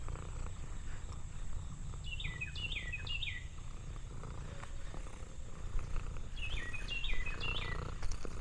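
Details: Lexi, an orange tabby cat relaxing on a farm in the countryside, purring in a steady low continuous rumble; two bursts of quick descending bird chirps sound around the middle and near the end.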